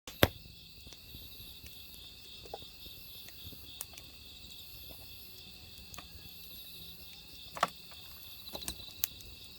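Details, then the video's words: Crickets chirping in autumn beside a burning wood fire: a steady, high, pulsing trill continues throughout, while sharp crackles and pops from the firewood break in irregularly, loudest near the start. "장작타는 소리와 어우러지는 귀뚜라미 울음소리"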